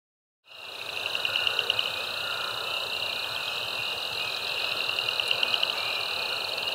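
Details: Mixed frog chorus at Caddo Lake National Wildlife Refuge, eastern Texas, USA, recorded March 10, 2024 with a binaural microphone; dense continuous high trilling and peeping bands, pulsed notes rising above the steady wall of sound.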